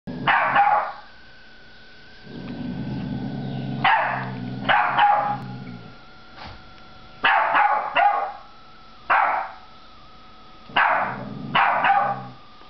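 A Boston Terrier puppy gives sharp, yappy barks in irregular bursts, with a brief low growl between.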